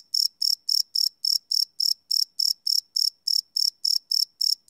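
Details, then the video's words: Close crickets at night, recorded live with a Sony PCM D100: bright, high chirps in short bursts, about three per second, evenly spaced and sharp-edged. "Cricket Chirp Sound - Cricket Sounds at Night"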